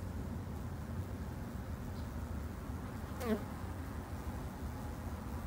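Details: Low continuous droning of kept Japanese honey bees in a garden apiary, many insects together, with one brief louder buzz passing close by mid-recording.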